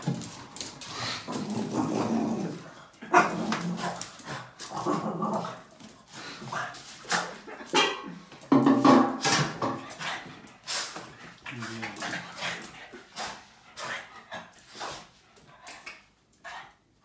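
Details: An angry Boston Terrier barking at a trash bag indoors; rapid rough barks mixed with growling and whiny yelps, coming in quick runs across the clip and fading toward the end.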